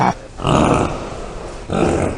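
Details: Bongo antelope giving loud, rough, noisy bleating grunts: two harsh broadband bursts, each about a second long, separated by a brief quieter gap.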